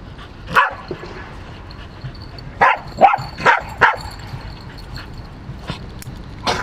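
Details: Pembroke Welsh corgi barking: a single sharp bark, a pause, then a quick run of four loud barks and one more near the end, spaced irregularly against a faint background hum.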